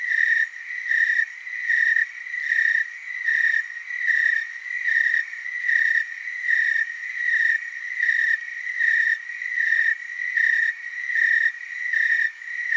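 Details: Willamette Valley, Oregon tree crickets chorusing: a sustained high trill with evenly spaced loud pulses, about sixteen swells over nearly thirteen seconds, the overlapping insects keeping a steady rhythmic drone.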